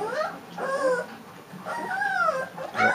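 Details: Three-week-old Leonberger puppies whimpering softly, with thin rising-and-falling whines at intervals and quiet gaps between them.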